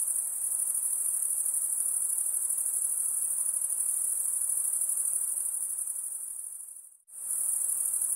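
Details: Insects singing in a dense, high-pitched shrill chorus, a steady fast-pulsing buzz that holds unbroken except for a sudden brief silence near the seventh second before resuming at full strength.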